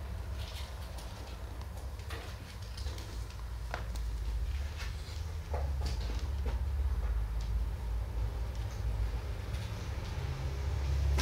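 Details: A recently spayed female calico sleeping off anaesthesia purrs in a low, even, pulsing rumble throughout, with occasional sharp clicks and faint background movement.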